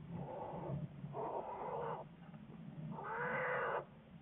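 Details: American black bear, February 10, 2014, part of a research project: low rumbling moans followed by a louder, brighter harmonic wail near the end.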